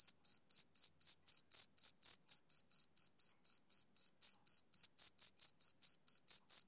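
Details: Male cricket chirping on a summer evening: short, high, bright pulses repeated steadily about four times a second, evenly loud throughout, with no other sounds.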